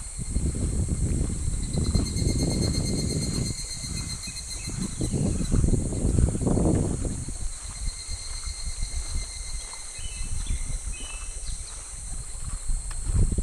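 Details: Cicadas calling in July at a shallow, slow clear stream with fish: a steady, high, hissing drone runs unbroken throughout, over low rumbling handling and wind noise, with a few faint short bird chirps near the end.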